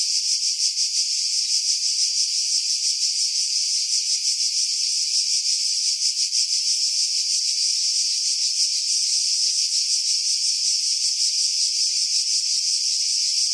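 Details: July 2018 cicada chorus from pines above Pefkos Bay on Skiros Island, Greece: steady, shrill, unbroken buzz with rapid rhythmic throbbing, recorded on a Sony RX3 with external mic, wind noise filtered out.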